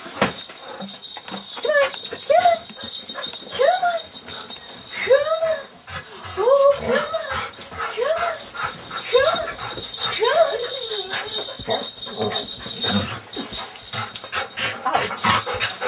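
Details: Two pet dogs, a Golden Retriever and a Terrier mix, greet their owners returning home after over a week away, in 2005. Drawn-out whining moans and howls rise and fall, repeated about every second, with people talking and small jingles behind.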